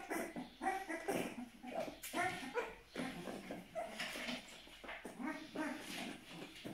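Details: A twelve-day-old Aksaray Malaklı puppy gives short, rising whimpers and yips in irregular bursts. Rustling and handling sounds are mixed in.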